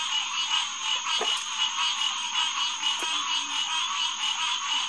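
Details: A full green tree frog chorus, Hyla cinerea, on a June night, June 2, 2021, 9:10 pm, at Headquarters Pond in SMNWR. Loud overlapping honks with rich harmonics pulse quickly, a high steady tone lies above, and two short clicks stand out.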